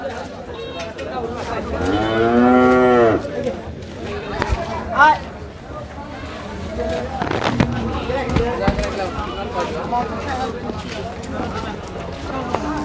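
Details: Cattle at a crowded Bangladeshi livestock market ahead of Eid, brought for Qurbani sacrifice; one loud drawn-out moo near the start, harmonic and falling, amid crowd chatter, a bright squeak, and market bustle.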